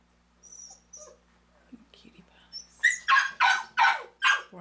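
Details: Litter of four ten-day-old black male pups born April 12th, nursing; faint thin whines at first, then five loud, harsh squeals repeated about every half second, with soft human murmuring early on.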